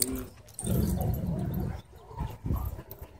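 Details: Dogs at a dog park, a wolf dog bullying a husky shepherd with pink eyebrows: low, rough, rumbling growls in bursts of about a second, with scuffling and outdoor background noise.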